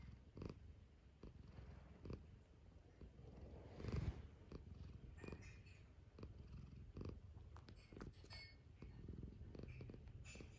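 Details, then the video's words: Domestic cat purring as it wakes up for breakfast: a steady low rumbling purr swelling and easing in breath-length pulses, with a brief soft thump near the middle and faint high ticks toward the end. "Relaxing Cosy Purring Cat Waking Up For Breakfast"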